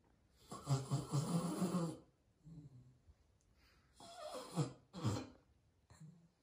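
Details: Loud snoring from Rocket, a sleeping pet beagle: long, rattling, vibrating inhalations with a deep buzzy tone, a drawn-out snore followed by softer wheezes and then two more sharp, grunting snores, in a quiet room.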